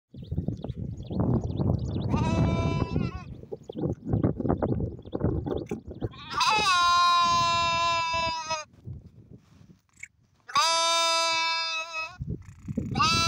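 A sheep gives several long, wavering bleats, each a rich nasal baa lasting one to two seconds.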